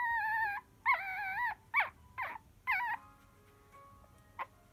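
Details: Poodle puppies asleep and dreaming give high, wavering whimpers and whines, several drawn-out and sliding in pitch, then shorter broken squeaks with pauses between, against a quiet indoor background.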